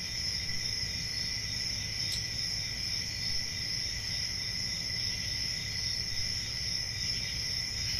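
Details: Summer night in the countryside: crickets keep up an unbroken high ringing drone in two stacked tones, with one sharp click partway through and a soft low hiss beneath.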